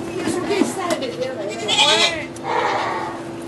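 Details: Goat in labour inside a Quebec sugar shack, where two kids were born; a short quavering bleat and a second drawn-out cry sound under continuous French conversation.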